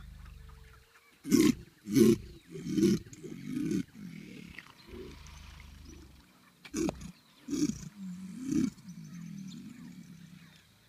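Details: Caiman in the Pantanal bellowing to attract mates and claim territory; a series of deep, loud roaring pulses repeated roughly every half second, pausing midway then resuming, with a low continuous hum underneath.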